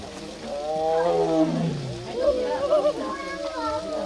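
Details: A tiger gives a deep, harmonic, downward-sliding groaning call, with voices in the background, while playing in a water pool at the Baekdudaegan arboretum tiger forest, Bonghwa, South Korea, on 13 May 2023.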